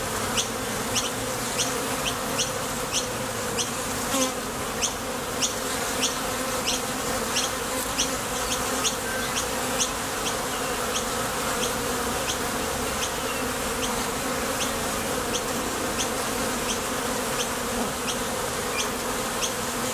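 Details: Many honey bees arriving and departing at the mouth of a Top Bar Hive while foraging for nectar. A constant layered drone lasting throughout, dotted with quick high ticks at irregular intervals.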